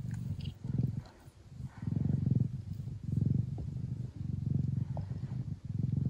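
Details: Deep, pulsing purr from Mia, a Thai or Old Fashioned Siamese mother cat kept indoors in the Netherlands, as she feeds her kittens. Loud rumbling bursts swell and fade with each breath, roughly one cycle per second, with brief quiet gaps.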